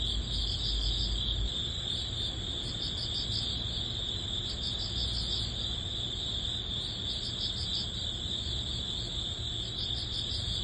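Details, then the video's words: Crickets in early autumn, summer's last days: several insects keep up a bright steady trill, punctuated by quick pulsing chirp bursts, over a soft low background rumble. "여름의 끝자락 초가을 풀벌레_ 백색소음_ Cricket sound"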